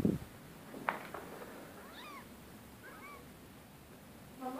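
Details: Rescue cat from 2015 giving short, high, falling mews at about two, three and four and a half seconds against a quiet room, with a soft knock just before the first mew.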